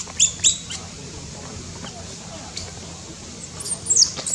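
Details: High, thin squeals from a newborn baby monkey in Cambodia, born in tall trees: two sharp peeps at the start, then a quiet gap, then a cluster of piercing descending squeaks near the end, with faint low background rumble.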